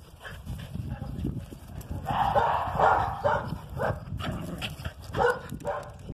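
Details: A Whippet and a Basset Hound at play, with drawn-out harmonic baying in the middle and short barks near the end over steady low-pitched rumbling and scuffling noise.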